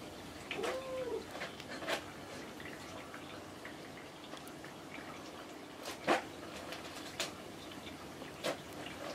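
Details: Kinako, a pet cat that replies whenever spoken to, answers her owner indoors with one short, soft meow that rises and falls early on. Scattered clicks and light tapping noises fill the quiet small room afterward.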